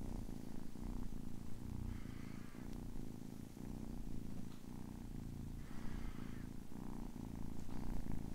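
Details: A ten-week-old kitten purrs in a deep throbbing rumble with regular breath pulses, while faint higher rustling or scratching sounds appear twice in the background.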